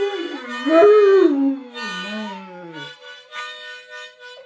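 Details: Pet Rottweiler singing along to a harmonica: a loud sliding howl rises and then falls over about three seconds, fading out while steady harmonica chords keep playing.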